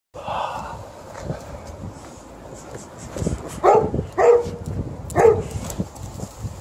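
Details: Alaskan Malamute playing a tug-of-war game, giving short harmonic yowling calls in three bursts around the middle, with rustling and scuffling of play underneath.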